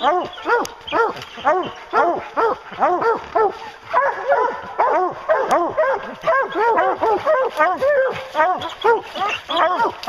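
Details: Hounds on a bear hunt bay steadily together. Loud, even barks come in rapid succession at about two a second, the voices overlapping into a continuous pack clamour.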